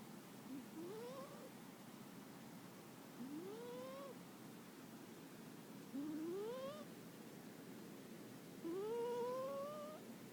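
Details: Kuri, a pet cat, snores while asleep, each breath carrying a whining, upward-sliding whistled tone with faint overtones, four snores spaced roughly two to three seconds apart against soft background hiss.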